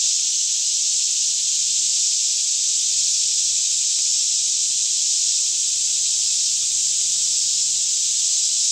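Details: Steady daytime chorus of many cicadas in a lush Kentucky forest near Franklin, around 10am in calm weather, recorded with a Canon 5D Mk2; a bright, high, rasping hum runs continuously with no breaks or rhythm.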